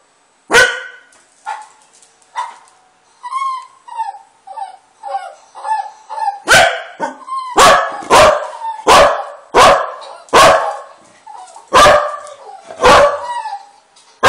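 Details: A pet dog, angered by friendly dog noises being played, barks. Thin whining playback sounds come first, then about ten loud, sharp barks are fired off irregularly in the second half.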